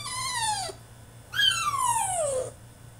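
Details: French Bulldog in his cage mid-tantrum, letting out two loud, piercing whines, each starting high and sliding down; the second is longer and more drawn out, with a faint low hum underneath.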